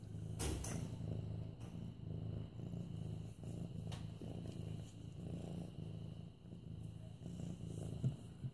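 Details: Mufasa, a medium-hair orange tabby male almost eight months old, purring under petting on September 28, 2015; a continuous low thrumming purr swells and eases in regular breath cycles, with soft rustling handling noises.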